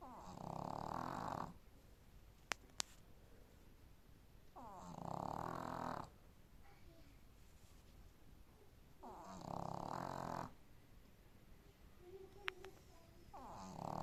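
A sleeping Boston Terrier snores in slow, rasping breaths, each lasting over a second, about every four seconds.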